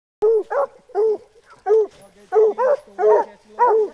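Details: A Black and Tan Coonhound treeing with another hound gives loud, ringing, slightly bawled barks in a quick steady series.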